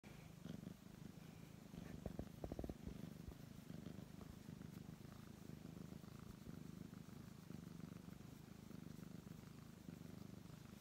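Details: Brown tabby cat purring steadily while being stroked, a continuous low rumbling drone throughout, with a brief burst of soft rustling clicks near the two-second mark.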